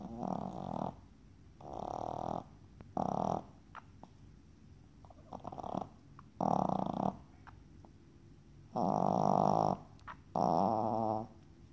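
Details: Sleeping Yorkshire Terrier gives chainsaw-like snores: eight or so rough, buzzing breaths of about half a second to a second each, coming fairly regularly with short silent pauses between them.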